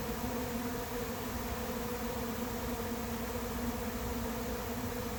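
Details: Honey bees of a late-season swarm moving into an empty, unprepared hive; a constant, dense buzz with steady humming overtones holds evenly throughout.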